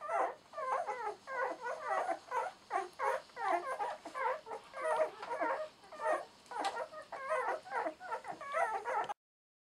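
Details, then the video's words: Ten-day-old German Shorthaired Pointer puppies of the M litter at a hunting dog kennel, sired by KS Conan Seehof out of Lorelei de Valcreole, giving a steady chorus of high whimpers and yips, several overlapping, about one per second. "HUNTING DOG PUPPIES"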